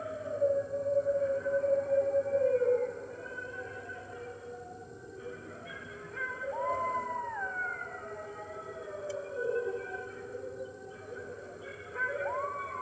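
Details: Red wolves at the NY Wolf Conservation Center, captive, join the center's other wolves in early morning on 15 March 2013, picked up by an enclosure webcam: several overlapping wavering howls, some sliding up and dipping, voices layered over a steady low hum.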